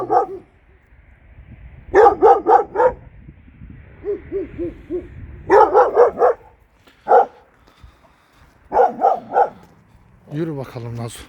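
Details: Kangal dog reacting at night to a strange dog up the hill in a Turkish neighbourhood; bursts of three to four rapid deep barks separated by pauses, softer lower barks between, a whining yelp near the end.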